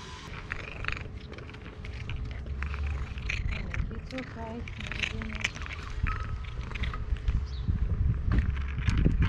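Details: Cherry, a stray cat in Istanbul, purring loudly while eating: a steady low rumbling purr runs throughout, with a short tonal meow-like sound near the middle, a man talking over it, and street noise behind.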